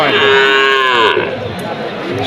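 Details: Cattle at a cattle market (goru hat) in Bangladesh give a loud, harmonic moo lasting about a second that bends downward at the end. Market crowd noise and chatter continue underneath.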